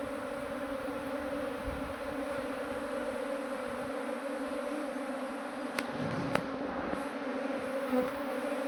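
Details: A swarm of honey bees that had absconded is moved into a modern hive while the keeper searches for the queen. A steady, droning hum holds throughout, with a few faint knocks and clicks.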